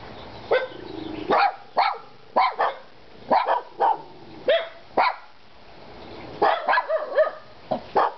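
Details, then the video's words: A trio of dogs named Kona, Koko and Konnor gives loud, clipped barks at irregular intervals, with some falling in pitch, a quieter stretch in the middle, then a cluster of barks at the end. "Kona,Koko and Konnor barking"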